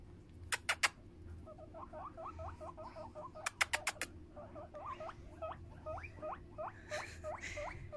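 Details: Pet hamster getting rubs and a head scratch, answering with quick runs of short upward-flicking squeaks, with several sharp clicks or taps in between and a low room hum.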